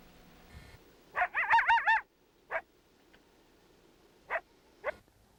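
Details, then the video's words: A coyote gives a short fluctuating howl, its pitch wavering rapidly up and down, followed by a few sharp yips; this is a distinct, easily identified coyote howl type, unlike the flat howl. "Let's listen to a coyote making a fluctuating howl."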